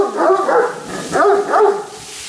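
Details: Two Great Danes grumble and complain about being made to go out in the rain, producing three loud, drawn-out, yodelling moans that bend up and down in pitch, right after a person says "Oh, no."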